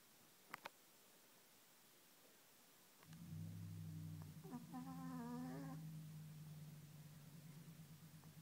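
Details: Fat orange domestic cat snoring while asleep indoors: a low steady droning hum begins partway through, with a brief wavering tonal whine layered over it, then settles into a continuous rumbling snore.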